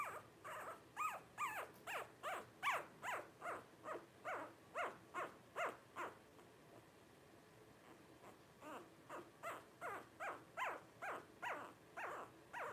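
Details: Five 12-day-old Blenheim Cavalier King Charles Spaniel puppies, born New Year's 2023 to Paris and Spike, give a rapid run of high, falling squeaky whimpers, about two or three per second, with a short pause midway.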